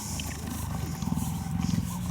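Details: Hand-raised female African cheetah purring at a rescue center in 2015 while licking a volunteer with her rough tongue. A deep, continuous throbbing purr is heard throughout, with faint background hiss.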